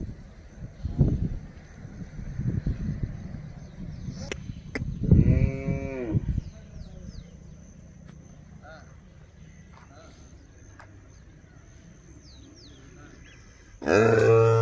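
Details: Hallikar male calves on a farm at S Gollahalli, Taverekere Hobli, near Chandrappa circle: one deep, hoarse moo lasting about a second in the middle, another starting at the end, over low rumbling and a steady high whine.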